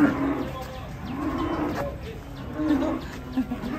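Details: Restless, agitated cattle being unloaded from a truck, giving low, drawn-out moos that rise and fall in gentle arcs, with people talking nearby and general handling noise in the background.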